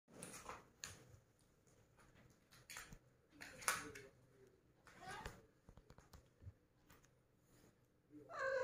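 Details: Maine Coon cat indoors giving a few brief meows and chirps spread across the recording, with a clearer rising meow at the very end and knocks and handling noises between.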